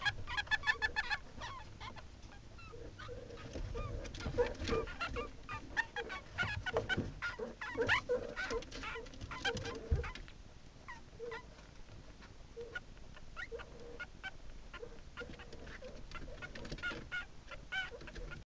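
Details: Meerkats inside their burrow, filmed by a hidden camera, give a busy run of overlapping brief chirps, peeps and sharp clicks with scuffles. The chatter is loudest at first, then thins into scattered squeaks and rustling.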